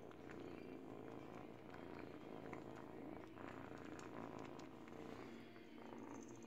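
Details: Purring from an eight-week-old domestic kitten as it teethes on a baby blanket, a continuous low buzzing rumble with scattered chewing clicks and fabric rustle layered on top.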